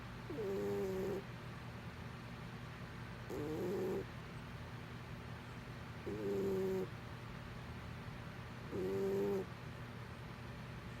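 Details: Pet cat named Mr. Whiskers snoring while asleep: four evenly spaced nasal, tonal snores, each about a second long and roughly every three seconds, over a faint steady background hum.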